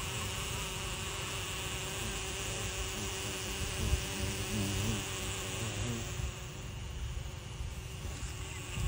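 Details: Xylocopa carpenter bees around their nests in a jackfruit tree; a low droning buzz swells and wavers in pitch mid-way as bees fly close, over steady broadband hiss and low rumble.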